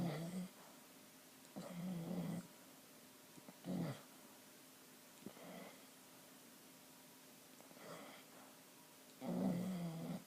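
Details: Chyna Doll, a sleeping dog, snoring: low rumbling snores roughly every two seconds, some longer and some brief, with quiet breathing gaps between them in a small room.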